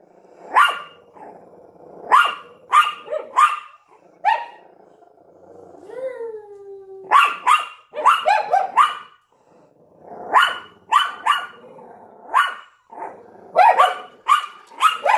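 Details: ['Small Yorkshire Terrier and Lhasa Apso at a window barking: repeated sharp yaps in clusters, broken midway by a drawn-out rising whine, then renewed volleys of quick barks.']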